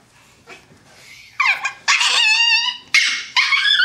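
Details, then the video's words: Two Chihuahuas, a brown female and a black male, play fighting on a bed indoors. Short high-pitched yips and drawn-out whining cries come in three loud bursts after a quiet start. "Chihuahuas fighting"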